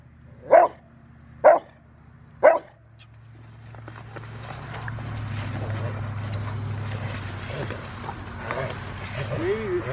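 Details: During bite work on January 20, 2020, the five-year-old male Rottweiler River v Schwarzerwald, training for a ZTP trial, barks three times about a second apart. Talking and rustling noise follow.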